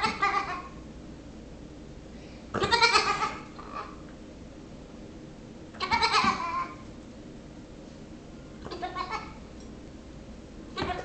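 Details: Six-week-old Nigerian Dwarf baby goat pestering a patient Yorkshire Terrier: loud, quavering bleats about every three seconds, each shaky and nasal, with quieter gaps between.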